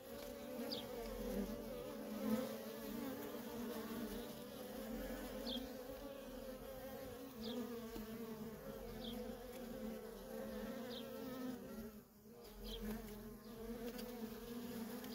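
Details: Steady droning hum of many worker honey bees streaming in and out of a feral colony, layered buzzing tones with occasional passing bees adding short rising whines; a brief dip in the drone near twelve seconds.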